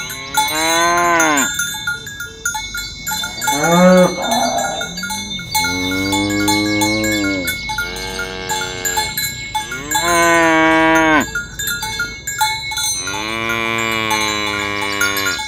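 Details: Tame village cows herded toward the pen in the morning across a green grass field, mooing to call others to gather; six arching, drawn-out moos from several animals, separated by brief pauses, over steady ringing cowbells.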